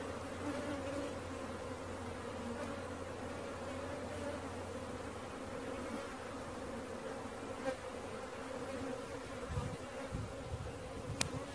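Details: Swarming honey bees during capture, their continuous low humming buzz layered with a deeper steady hum that fades out near the nine-second point, ending with a few soft thumps and a sharp tick.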